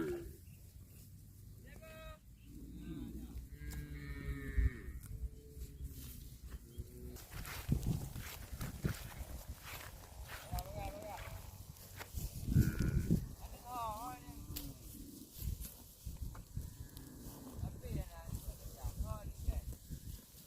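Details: Cattle eating grass, with several low, drawn-out moos carrying harmonic bands around the middle and late parts, mixed with chewing and rustling noises and some background clatter.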